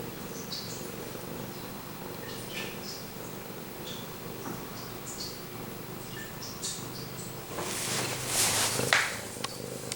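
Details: Pumpkin, a male pet cat purring very close to the camera: a steady, low, rumbling purr runs throughout, with soft clicks and a brief loud rustling burst near the end.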